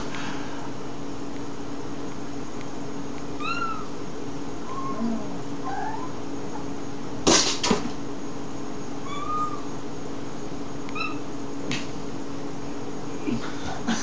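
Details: Domestic cat meowing while trying to reach a crane fly just out of its grasp: short, soft, slightly rising-then-falling mews at intervals, over a steady low indoor hum, with a few sharp knocks.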